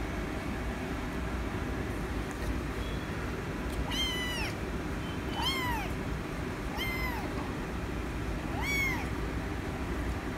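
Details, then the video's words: Rescue kitten calling for attention, giving four arched, falling meows spaced roughly one and a half seconds apart, each clear and harmonic-rich, over continuous low-pitched rumbling noise. "The Rescue Kitten Meowing So Cute For Attention"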